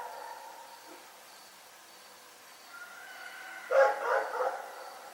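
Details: Rex the dog at night, with a quiet faint-noise lead-in followed by a single loud, harsh bark burst with a couple of quick echoing pulses near the end.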